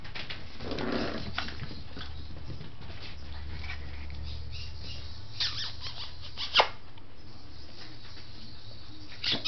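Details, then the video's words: Seven-week-old Scottish Terrier puppies at play: a short rough growl-like burst near the start, then steady scuffling and pattering of paws with a few sharp knocks, in a small room. "Monster Scottie puppies!"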